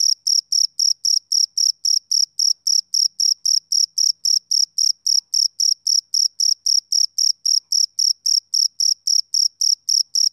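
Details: Rhythmic, ringing pulses from a male cricket on a summer evening, roughly thirty-eight high chirps at an unbroken pace of nearly four per second, with no other sound.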